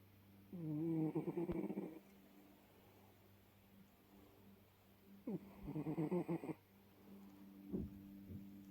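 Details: Bengal cat sleeping and snoring indoors; two rasping, rattling snore breaths about five seconds apart, each lasting over a second, with a steady low hum in the background.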